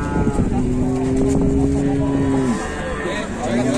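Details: A cow in a pen gives a long, steady, low moo lasting about two and a half seconds, then a short rising start of another, over loud engine-like rumble and background noise.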